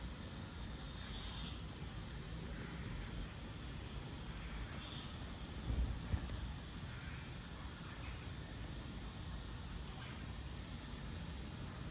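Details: Steady low rumbling background noise with faint hiss and a brief thump, with no clear animal voices.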